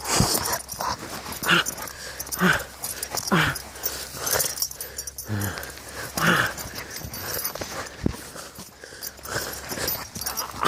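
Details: Five-month-old Dogo Canario puppy attacking in Transylvania: rough, noisy growls and snarls in irregular bursts, roughly one a second, while a person cries out in pain and protest.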